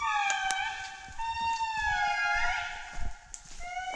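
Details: Indri family singing in forest at Andasibe-Mantadia National Park, Madagascar, July 2019: clear, wailing, harmonic tones that slide and hold, overlapping voices at different pitches, with faint clicks and rustles from walkers.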